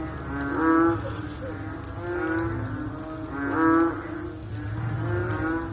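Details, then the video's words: Frog chorus following rain: drawn-out, nasal, moo-like calls overlap continuously, with two loud bellows near one and four seconds and quieter calls between. "Sound After Rain With Sound of Frog / Bunyi Selepas Hujan Pakej Bunyi Katak"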